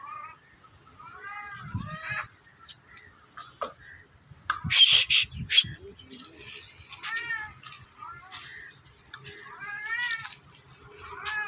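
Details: Two cats on top of a tree in a threatening standoff, trading drawn-out, quavering meows every few seconds, mixed with people's voices, a burst of rustling and shouting in the middle.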